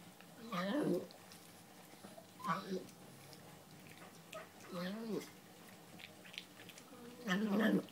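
A Boston Terrier makes short, wobbling grumbles and moans in bursts every couple of seconds while eating.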